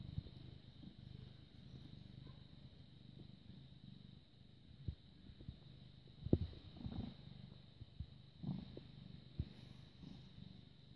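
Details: Low rhythmic purring from a British Shorthair cat born 18 August 2010, recorded 6 May 2017 at 21:55, a steady rumbling drone accompanied by scattered soft clicks and taps.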